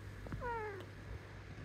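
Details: Pet cat that wants cuddles, meowing indoors at bedtime: one drawn-out, slightly falling, tonal meow near the start, then a low steady hum in the room.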